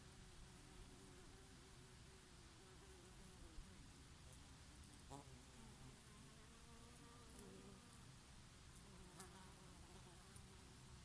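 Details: Bees feeding on oregano flowers on a summer day; a gentle, continuous insect drone with brief buzzing fly-bys and wavy hum traces, set against light breeze and scattered soft clicks.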